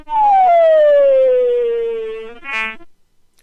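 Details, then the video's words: Tungara frog full chuck call, a complex call females prefer, played back slowed down: a long harmonic whine sliding steadily downward, followed after a brief gap by a short, abrupt, broadband chuck note. "So there's the whine slowed down, and now we'll slow down the full-blown chuck call."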